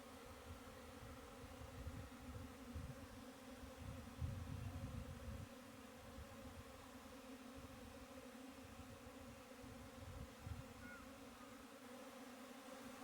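Honey bees make a steady, low droning buzz that hums on without pause.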